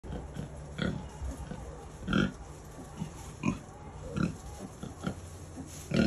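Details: Kunekune sow with piglets born in the early morning of 7/6/23: soft low grunts in short bursts, roughly every half second to second, with brief higher squeaky piglet-like notes mixed in.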